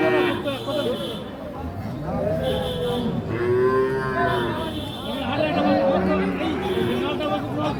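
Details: Sahiwal bull calves at the Ambari cattle market in Parbatipur, Dinajpur, Bangladesh, on 26 March, where farmers from Biral buy calves. Several drawn-out, harmonic moos rise and fall amid a steady hum of crowd chatter.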